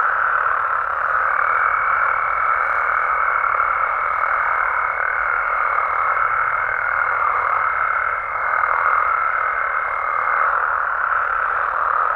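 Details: Nighttime amphibian chorus from Mexico, frogs and toads in the wild, forming a continuous even wash of calls, with a sustained high pure tone running from about the first second to the tenth over the dense mass.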